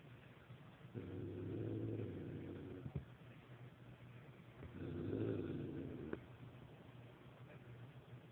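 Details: Domestic cat growling at a dog it outweighs by about ten pounds: two low, rumbling growls, each lasting about two seconds, with a woman's voice talking between them.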